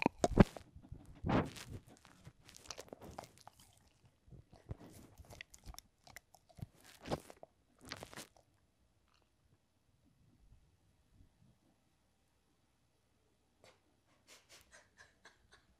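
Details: Edmundo, a Pembroke Welsh Corgi aged three, crunches food indoors: loud, crisp bites and chews fill the first eight seconds. Near-silence follows, broken only by a few faint ticks and clicks.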